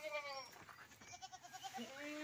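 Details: Goat kept in a collector's pen of unusual goats, giving a wavering, tremulous bleat with a stacked harmonic tone that quivers in its second half, over faint background chatter.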